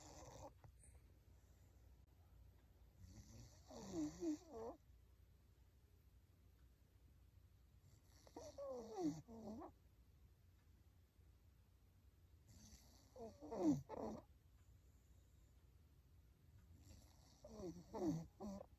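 An English Bulldog snores in slow, rattling bursts roughly every four to five seconds.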